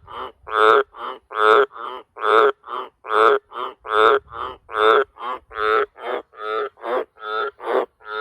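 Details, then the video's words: Wild Australian green tree frog at a farm at night, calling deafeningly loud up close: a steady chain of harsh, buzzy croaks, about two every second, each a short pulsed burst of similar pitch, tapering slightly toward the end. "Australian Green Tree Frog Call Wild Very Loud Croaking Sound"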